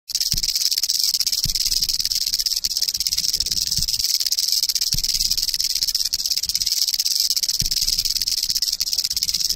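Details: Eastern diamondback rattlesnake biting a camera, slowed to half natural speed; a steady, high, hissing buzz runs unbroken throughout, with faint low thumps scattered underneath.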